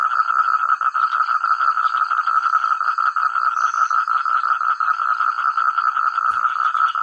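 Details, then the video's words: Massed frog chorus from village rice paddies, many frogs calling at once with their own voices; continuous dense croaking blends into a steady loud drone, brief click near the end, faint high whine overhead. "Suara katak terbaik,rame ,keras dsn jernih"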